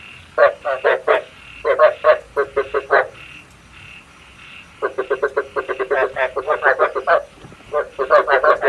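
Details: Frog lure call for night trapping with a bát quái trap: groups of quick, ratchety pulsed croaks, then a quiet gap of about two seconds before a long, fast rattling series resumes.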